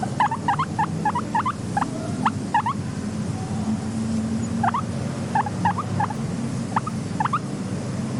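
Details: Guinea pig, a content pet, uttering fast clusters of sharp, upward-flicking squeaks early on, then sparser single squeaks, with a low steady ambient rumble throughout.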